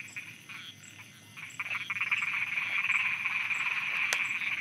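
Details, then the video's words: Thai frogs croaking at night: rapid, rattling pulses build from a sparse start into a loud, continuous chorus, with a soft high-pitched tick repeating regularly in the background. "Thailand Night Frogs Soundscape"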